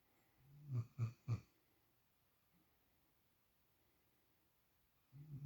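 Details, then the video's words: Female puppy asleep in Shadow's usual spot gives three quick snorting snores in a row, then a pause before the next rumbling breath begins. "Snoring Puppy"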